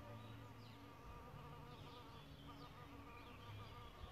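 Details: Bug hotel where solitary bees nest: a continuous, even humming buzz holds without break, with faint bird chirps flicking in the background.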